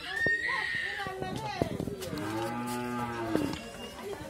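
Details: Pregnant Friesian cow, nine months in calf, kept on a family dairy farm in Bhangura, Pabna, Bangladesh; a drawn-out lowing moo with a steady low tone and rising harmonics, preceded by brief higher calls, with voices and children nearby.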